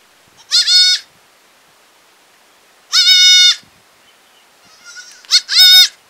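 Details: Goat in a village bleating three times, each a wavering nasal bleat under a second long, spaced a couple of seconds apart, the last preceded by a softer quick call.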